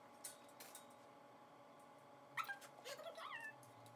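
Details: Female puppy named Coyote during kennel training, learning to stay in her kennel while her owners are away. A brief high, thin whine first rises and then falls with a wavering tone, near the end, after soft tapping and rustling sounds.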